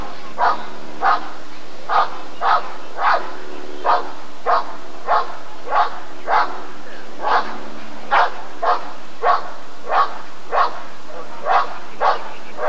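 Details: A Rottweiler barks repeatedly during the 1994 ADRK Körung breed survey, about twenty short, rough barks over some twelve seconds in a slightly uneven rhythm, with a low constant hum behind.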